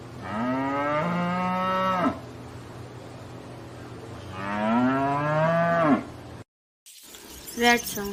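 A cow gives two long, low moos, each about two seconds and rising slightly, separated by a short pause, followed by a brief break and a faint other sound.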